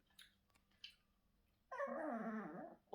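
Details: Chihuahua indoors, growling slightly threateningly at its owner over her food; following a quiet stretch with faint taps, a steady, harmonic, whiny growl holds for about a second before cutting off.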